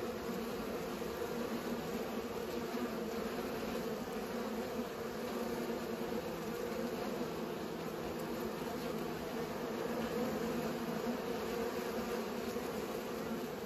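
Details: Bees pollinating give a steady, continuous droning hum with a low, even pitch that holds unbroken throughout, thickening slightly in places.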